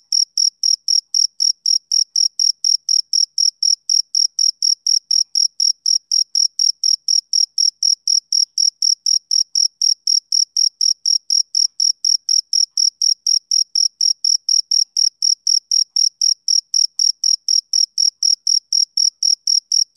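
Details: Continuous male cricket chirping: a long run of sharp, high-pitched pulses spaced evenly at about four per second, each topped by a fainter overtone, in an otherwise silent setting.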